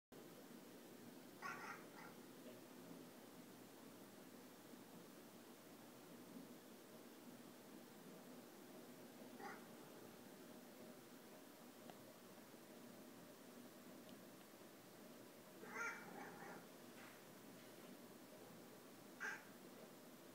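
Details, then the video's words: Pet cats watching hummingbirds visit feeders during rain, talking to the birds: four short, bright chirps spread across twenty seconds, each a quick burst with stacked overtones, over a low steady background hum. "Our cats watching and talking to the Hummingbirds."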